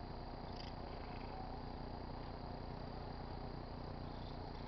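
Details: A pet tabby cat purrs in a steady, low, rumbling drone while rubbing on a car antenna; tabby cat.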